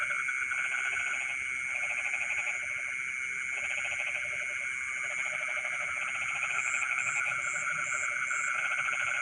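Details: Night chorus of frogs in a rice field, rapid trains of pulsed croaks rising and falling in overlapping bursts, with a continuous shrill insect drone and short high beeping notes near the end.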